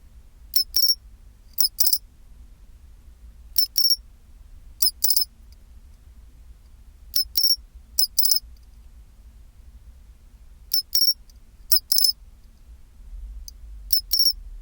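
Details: Chinchirorin song of a pine cricket at 24°C, about ten shrill two-part bursts: a short chip, then a bell-like ringing trill, recurring every one to two seconds over faint low-frequency hum.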